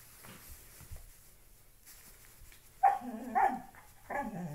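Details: Loki the pet dog, playing with a shoe inside a small room, lets out three quick high yappy barks in the last two seconds after faint rustling and snuffles.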